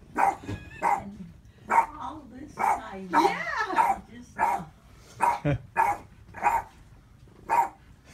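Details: Boston Terrier barking at his own reflection indoors, a rapid run of sharp barks roughly every half second to second, with people talking and laughing in the background.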